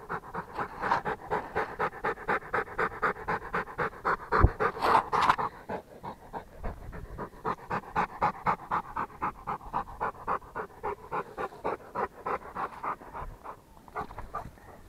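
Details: Fast, regular panting of a Rottweiler, airy puffs repeating nearly four times a second, with a louder thump or bump partway through and the rhythm continuing steadily afterward.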